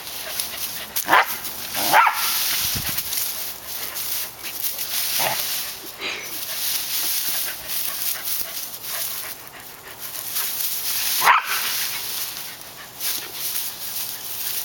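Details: Dog by its favourite bush in August 2010, giving a few short, sharp barks spaced several seconds apart over a steady high hiss, with quieter rustling between.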